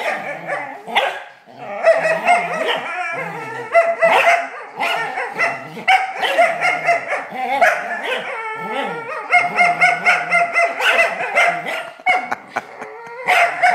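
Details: Black smooth collie growling and whining during a game of tug, a continuous run of strained, vocal growls and whines with pitch swoops and rapid pulsed bursts, heard over roughly fourteen seconds.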